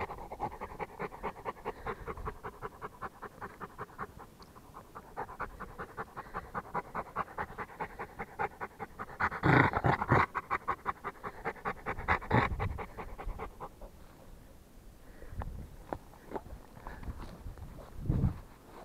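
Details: Rottweiler pants fast and evenly, about three breaths a second, with a louder burst near the middle before the panting fades and turns sparse toward the end.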